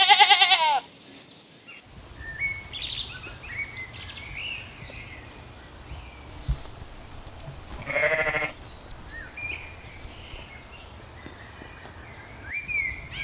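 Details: Sheep grazing on a green spring meadow: a loud quavering bleat opens, a second wavering bleat follows about seven seconds later, with thin chirps and soft rustling in between.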